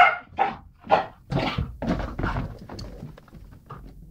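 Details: Rhodesian Ridgeback puppy Beau, twelve weeks old, playing with a balloon indoors: three sharp yelping barks in the first second, then rougher, lower grumbling barks fading out, with a soft laugh nearby.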